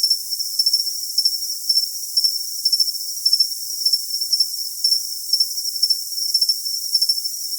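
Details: Cricket song of shrill, metallic pulses recurring about twice a second, each brief chirp ringing above a steady high hiss, with nothing in the low range.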